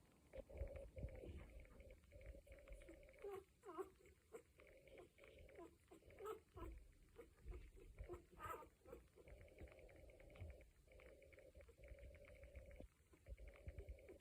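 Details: Cocker Spaniel pups, one week old, whimpering together: long wavering whines and clusters of short squeaks repeat through the recording, softly layered over low background noise.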